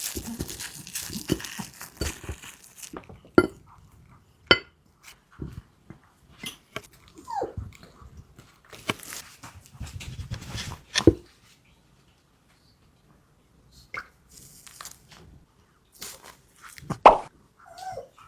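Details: Maltese dog named Wanzi eating a nutritious meal, excited by tasty food; scattered crunches, licks and clicks of chewing indoors with quiet gaps between bites and a brief high squeak near the end.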